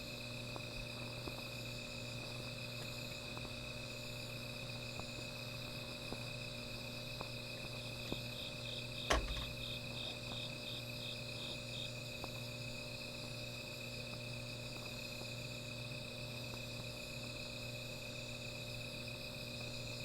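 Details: Night insects singing beside a small fire: a steady, high, unbroken trill holds throughout, joined midway by a short run of rapid pulsed chirps and one sharp pop, over a low constant hum.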